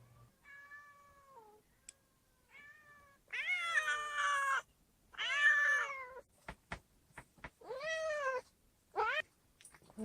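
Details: Yard cats back from a long outing, at a house where stray cats are fed; a run of drawn-out, harmonic meows, some sliding downward, others loud and wavering, separated by brief clicks.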